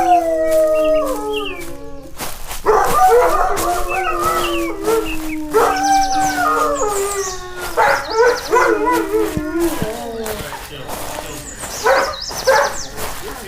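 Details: A puppy playing outdoors on green grass gives long, steady, tonal whines that slowly fall in pitch, then breaks into a run of yips and short howling cries, with birds chirping faintly high above.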